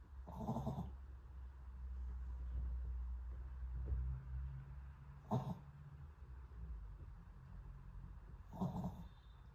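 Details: Dog snoring in its sleep, giving three brief, noisy, snorting breaths spaced irregularly a few seconds apart, with a steady low droning hum underneath and no other clear sounds.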